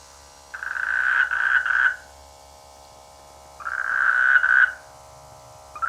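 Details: Rainy-season frog croaking from village rice fields: two loud buzzy, pulsing croaks, each just over a second long, separated by roughly two seconds of quiet, a third starting at the end.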